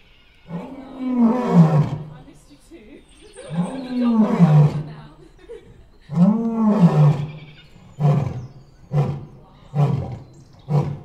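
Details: White male lion in a wildlife park giving a full throated roar in bright sun: three long, deep, moaning roars that swell and fade, followed by a series of shorter grunting bursts about once a second.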